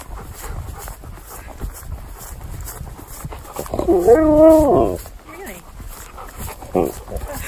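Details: Siberian Husky at home in the morning after waking, a drawn-out wavering howl-like vocalization with stacked harmonics lasting about a second, then a shorter rising yelp; a man's voice talks to the dog about breakfast, with background rustling.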